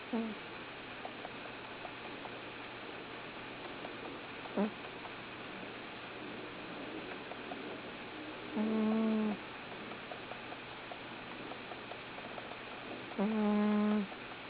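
A Bengal cat snores in its sleep, with soft, buzzy breaths a few seconds apart.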